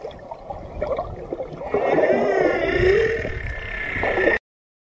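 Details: A whale's moan: a long, smooth, harmonic tone sweeping gently upward and holding for over two seconds, rising out of gurgling underwater noise before stopping abruptly.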